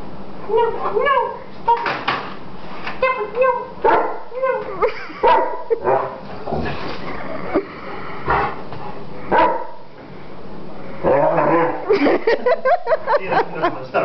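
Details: An attacking Greater Swiss Mountain Dog barks in bursts of clipped, ringing woofs spread across the recording, with a quick volley near the end, while human voices talk over the dog.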